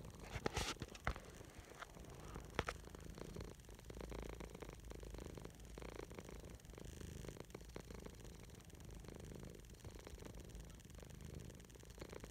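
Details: Domestic cat lying on a person's chest, purring in a low, steady rumble, with close rustling and scratchy contact noises throughout.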